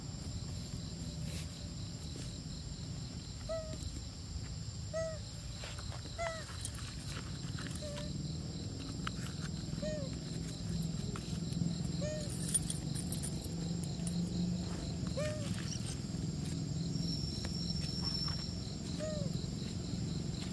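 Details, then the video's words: Baby monkey named Brady crying out and calling to its mother for help: short, arched, whistle-like cries with faint overtones, first repeated about every second, then scattered, over a steady insect buzz and light rustling. "Mom Help! Adorable Baby Monkey Brady Cry Call Mom For Help"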